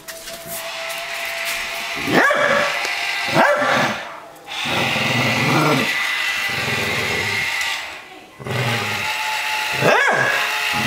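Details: Pet dog Mia squares off against a talking Buzz Lightyear toy, giving three sharp, short barks spaced a second or more apart over the toy's steady electronic voice and background noise.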